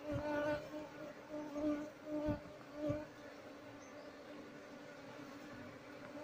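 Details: Colony of Asian honey bees (Apis cerana) living in an active speaker, buzzing while its honey is harvested and the bees moved, queen not found. Droning hum with several rising bursts of louder buzzing early, then a steadier drone.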